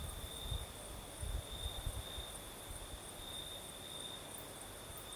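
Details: Night chorus of crickets in southern Crimea during a nighttime breeze, a continuous thin high-pitched trill with a second higher band, and soft low wind bumps in the first two seconds.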